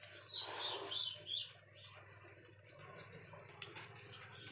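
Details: Leopard cat; aggressive call; showing aggression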